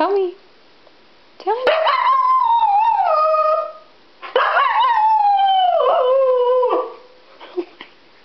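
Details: Agitated pet female Siberian Husky left at home while others went to a pet store: two long, loud yodelling howls with wavering, slowly falling pitch and rich harmonics, each lasting about two seconds, followed by a soft short whine.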